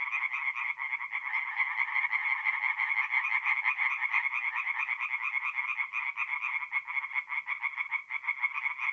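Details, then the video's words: Tree frogs calling at night from a forest pond in north-east Italy in mid-April, many voices blending into a continuous stream of quick, nasal, pulsed notes with steady loudness throughout. "relaxing forest pond by night with singing tree frogs"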